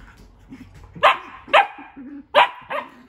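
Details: Pet dog barking while playing with another dog in a new indoor playroom, objecting to the other dog entering a tent; four sharp, loud barks in two close pairs, with soft scuffling and low growly sounds between them.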